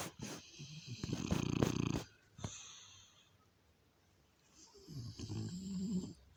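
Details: French Bulldog snoring: a raspy, rumbling snore around one to two seconds in, then quieter breathing and a second, softer drawn-out snore near the end, with low buzzy vibration throughout.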